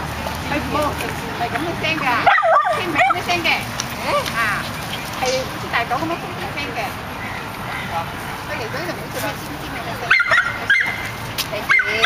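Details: Nine-month-old miniature schnauzers in a park: scattered sharp yips and short barks rise and fall through the passage, mixed with human voices and steady outdoor background noise, with a louder burst of yelping near the end.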